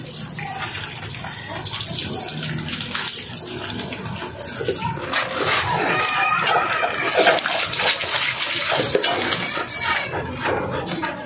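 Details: Running water splashes steadily in a small room, with brief bits of speech and no clear animal voice.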